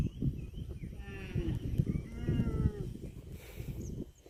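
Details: Cattle mooing in a long, wavering low call lasting nearly two seconds that bends downward at the end, with rustling, clattering background noise and faint bird chirps.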